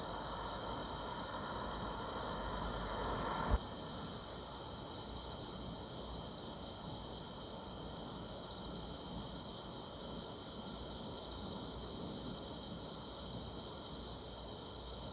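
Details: Summer-night grass insects trill in a steady, unbroken high-pitched drone, with a fainter shimmering band above it; a brief low click and a drop in background hiss occur early on.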